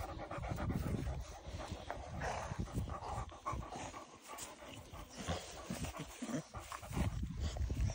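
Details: Cane Corso puppies panting in quick, rough, breathy bursts, with heavy low rumbling and handling noise close by throughout.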